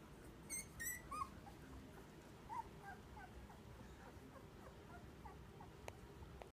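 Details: Two-week-old puppies from a litter of Quihnn and Kikki give a few short, high, squeaky whimpers early on, then fainter thin squeaks scattered through the rest over a low steady indoor hum.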